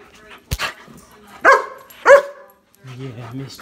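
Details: German Shepherd barking as its owners return home after two weeks away; two loud, harmonic barks about half a second apart, preceded by a sharp knock and followed by people talking.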